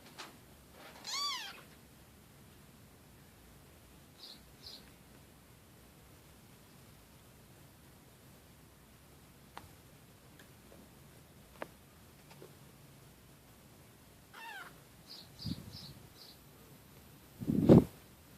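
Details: Kitten giving a high, arched meow early on and another about fourteen seconds later, with short soft chirps between, in a quiet room ending with a loud low thump.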